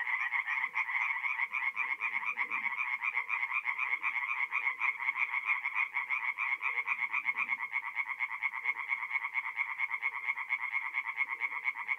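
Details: Many tree frogs singing together by night in a forest pond in April, north-east Italy; an unbroken, rapidly pulsing croaking chorus, sharp and bright, with softer lower croaks scattered beneath.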